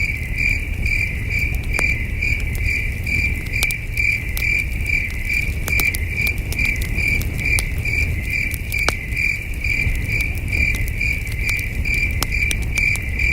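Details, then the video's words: Crickets chirping at night at a peaceful camping site under the stars, a steady high-pitched pulsing trill about two chirps a second, with campfire crackles popping and a low breezy rumble beneath. "Camping Under a Million Stars with Soothing Cricket Sounds"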